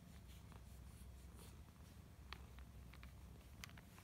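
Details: Pet cat Sacchan purring contentedly indoors while massaged with a cat massage roller; a steady low rumble runs throughout, overlaid by scattered sharp clicks and ticks.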